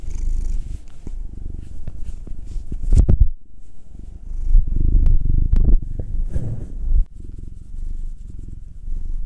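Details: Massaged domestic cat, Will the nine-year-old black male or Anzu the two-year-old tortoiseshell Munchkin female, purring deeply in uneven surges broken by short pauses, with sharp handling clicks and fur rustle.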